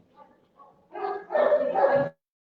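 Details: One of two German Shepherd dogs in a household gives a loud, rough burst of barking after a few faint sounds, during an online call.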